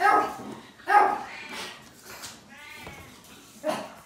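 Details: Newborn black Japanese Chin puppies from a litter of five born February 15: brief squeaky yelps, then one drawn-out harmonic whine that wavers in pitch, and a final short squeak, in a small indoor space.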